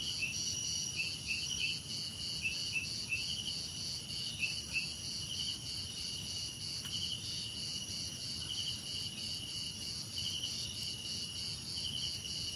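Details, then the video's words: A relaxing chorus of crickets: an unbroken high-pitched trill with brighter clusters of chirps breaking through every second or two, over a quiet low background hum. "Relaxing Cricket Sounds"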